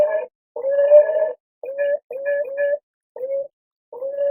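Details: Beaver recorded in a natural environment: a series of nasal, whining tones, each held steady for a fraction of a second to a second and repeated in short bursts with brief gaps, on a quiet background.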